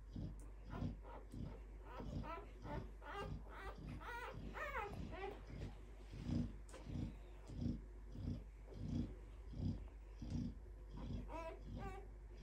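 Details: Litter of two-day-old Clumber Spaniel puppies giving faint, high, squeaky whines in short clusters over a soft, low rhythmic thumping that repeats roughly every two-thirds of a second.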